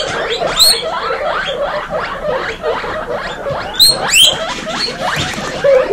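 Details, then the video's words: A crowd of baby guinea pigs, all female, makes a loud chorus of short rising squeaks and occasional long piercing upward whistles, with continuous overlapping chatter throughout. "Baby Guinea pig kindergarten ( warning: loud wheeking )"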